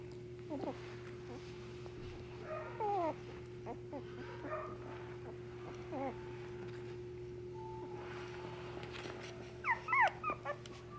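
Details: Shiba Inu puppy in a Nara pet shop whimpering: brief descending whines and squeaks, then a burst of higher, wavering yelps near the end, with steady mechanical hum throughout.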